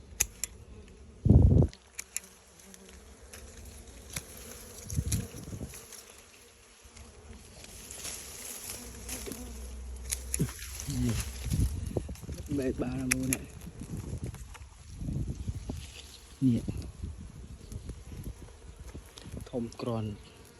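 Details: Honeybees during a honey harvest from a wild comb; a steady low droning hum runs throughout, with brief bangs, rustling and a man's voice breaking in now and then.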